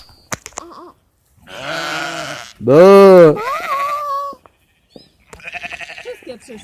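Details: Sheep giving one loud, quavering bleat, arched and wavering in pitch, with a shorter flat-toned call right after; people speak Polish before and after it, with clicks and handling noise.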